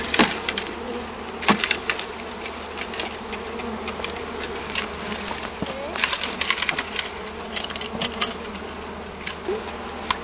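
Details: Honey bees from a hive found inside a large felled tree, shaken from a bee-vacuum into a hive body with their captured queen. A steady low droning hum runs throughout, broken by sharp rattling clicks and knocks of bees and equipment.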